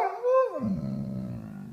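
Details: Basset Hound complaining about home time: a short rising-then-falling howl note that drops into a low, rough, grumbling moan.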